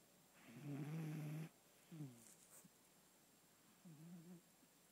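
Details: Sleeping pet cat snoring, said to sound like a man with sleep apnea: one low, buzzy, harmonic snore lasting about a second, then softer faint breathing sounds in a quiet room.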